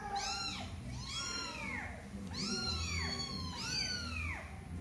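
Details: A mother cat stays near her kitten, wanting to keep touching it rather than let it play too long; clear, repeated arching meows, about four in five seconds, some overlapping.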